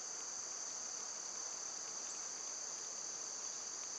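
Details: Loud seasonal cicadas in summer make a seamless shrill droning band of sound, steady in volume, with only a couple of very faint background ticks.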